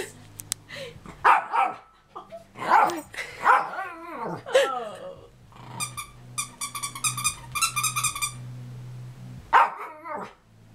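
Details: Pet dog howling indoors, prompted by his toy: wavering, bending yowls with bark-like onsets fill the first four seconds. A rapid, evenly pulsed tonal toy sound runs for about two seconds, then one more short yowl near the end. A person's voice is also present.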